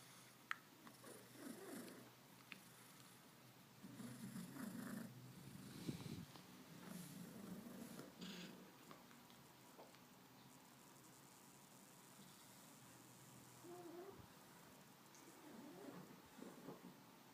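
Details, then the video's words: Late-night coughing by Carol, a domestic cat, at 11:20 pm on Saturday, September 29, with no meows: several rough, wheezing low bursts clustered mid-clip, sounding snore-like and raspy, separated by quiet indoor stretches and faint rustles. "Carol Cough and no meow sounds"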